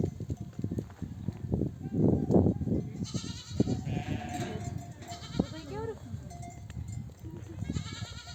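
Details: Nomadic flock of mother sheep back from desert pasture, bleating to call their lambs to nurse; wavering harmonic bleats rise over a dense rumble of trampling and milling animals, with a few short bleats after a pause.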